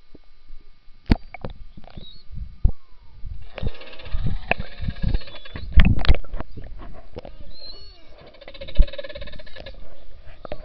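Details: Underwater recording in the Churchill River beside Hudson Bay, Churchill, Manitoba, in summer, when belugas come into the river to mate. Brief high whistles, one falling tone and sharp clicks build into busy crackling over a low water and engine-like rumble.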